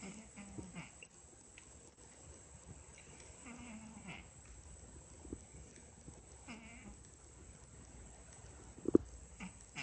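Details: Sleeping cat with a strange snore: soft nasal whistles, each held briefly, come back roughly every three seconds between quiet raspy breaths, ending with a sharp click.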